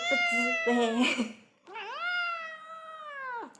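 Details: A cute cat gives two meows. First come short, choppy mews overlapping with human voices, then after a pause one long, steady, high meow that slides down at its close.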